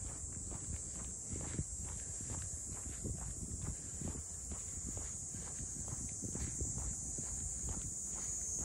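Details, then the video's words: Cicadas in the traditional port townscape of Ine no Funaya, north of Kyoto, give a steady high shrill drone throughout, with a walker's footsteps thudding regularly underneath. "cicadas voice"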